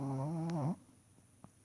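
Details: Sleeping puppy giving one buzzy, tonal snore that wavers and dips before stopping abruptly, followed by quiet breathing and a faint high hum indoors.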